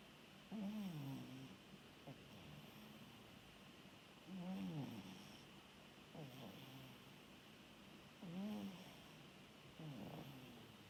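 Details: Sleeping orange tabby rescue cat snoring: low, rough throaty snores with wavering buzzy overtones, a louder one about every four seconds and softer breaths between, over a steady faint room hum.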